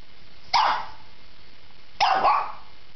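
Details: Shih Tzu barking twice, each bark a loud harsh burst with the second doubled, about one and a half seconds apart over a quiet background.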